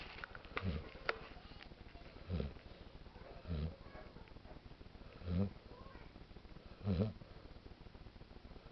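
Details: Sleeping dog named Daisy snores in a small room, giving five throaty, low rumbling snorts spaced about one and a half seconds apart, with faint clicks and soft rustling between them.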